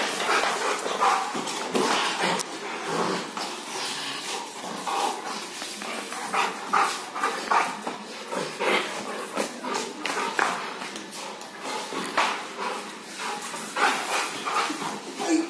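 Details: Rottweiler play-fighting with a person, giving short, rough bursts of barking and growly noise at irregular intervals, some in quick runs, over a steady background hiss.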